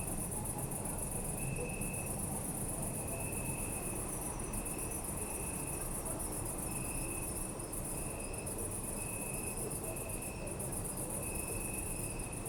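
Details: Crickets calling at night in a city park, Zoom F3 recording: dense high trilling wash plus a pulsed chirp sounding in short bursts every second or two, with a steady low-frequency urban drone underneath.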